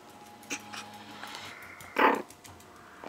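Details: A 4-week-old female Chihuahua puppy gives her first bark, a single tiny, high yip, against a quiet indoor background.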